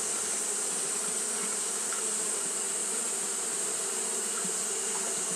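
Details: Japanese honey bees fanning steadily on a hot day: a continuous low, droning hum with a faint flutter, under a constant bright high-pitched hiss that holds level throughout.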